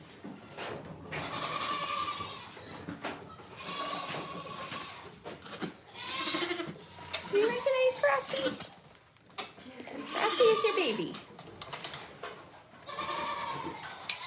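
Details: Goats on a farm calling repeatedly: a series of wavering, nasal bleats every couple of seconds, some rising then falling, with people talking softly in the background.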